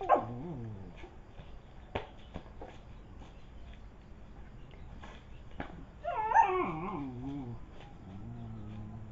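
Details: Indonesian village dogs fighting: a sharp cry opens, then scattered clicks and knocks, and near the end a loud wavering yelp that slides up and then falls into a lower whining moan.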